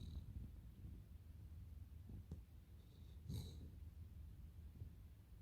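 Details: Low, rattling snore from a Cavalier King Charles Spaniel called Totoro, steady and faint, with one slightly louder snort-like burst midway.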